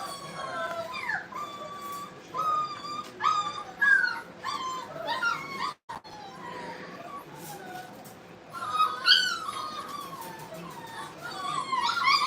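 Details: Brittany puppies playing at a kennel send out scattered high yips and whines over a hissy background, broken by a brief dropout midway, then a renewed burst of squeaky calls.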